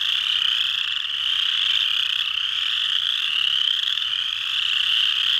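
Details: Chorus frogs (Pseudacris) calling at Mud Hen Marsh, Delaware County, Ohio, USA, on 12 March 2020. Many overlapping high rasping trills merge into a dense, unbroken chorus that swells slightly and dips.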